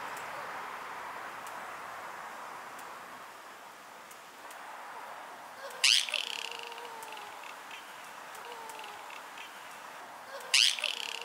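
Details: Bush dog puppies about three months old, two males and three females, at Twycross Zoo in England, squabble in a minor disagreement with two sharp, harsh squeals amid soft whining and a quiet background.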